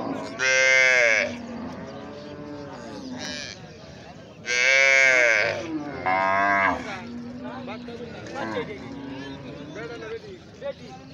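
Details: Calf lowing with long, mid-pitched moos between louder, harsher bursts of voice, the calls drawn out and slightly wavering, about six vocal bursts over eleven seconds.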